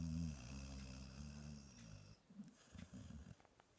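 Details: A female English Springer Spaniel asleep on her owner's bed snores deeply, a low rumbling drone rich in buzzy harmonics, breaking off into softer, irregular snuffling breaths.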